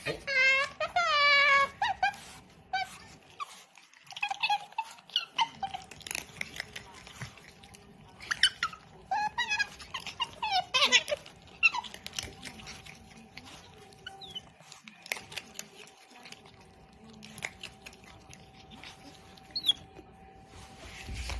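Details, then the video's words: Otter making funny noises while eating: high squeaky chirps with stacked overtones in a quick burst at the start, then scattered crunchy chewing clicks and short squeals, over a faint steady hum indoors. "Otter Wu Chan makes funny noise while eating"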